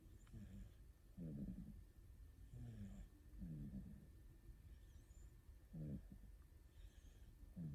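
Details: Two rescued house cats, an orange tabby and a calico, sleep cuddled together while one snores: low, grating, rattly breaths roughly every one to two seconds, alternating shorter and longer pulses, with no other sounds.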